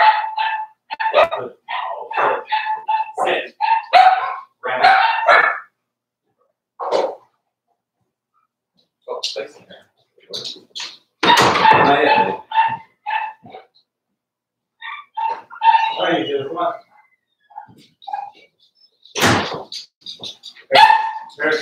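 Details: Quick runs of high, harmonic yips and little barks come from Daisy's 4-week-old Cavalier King Charles Spaniel puppies, kept in an indoor pen, mixed throughout with people talking and some handling noise in a small room.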